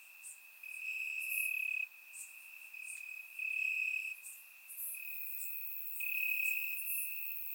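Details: Crickets chirping in grass on a warm summer night in Bulgaria, surround microphone; a steady high trill swells in louder bursts about every second or two, with fainter higher insect notes above.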